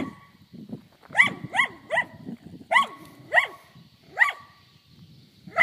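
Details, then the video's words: A dog barks at cows, giving a burst of eight clipped barks, several in rapid doubles and triples, each sharp and slightly dropping in pitch, with soft low background noise between them. "Dog barking at cows"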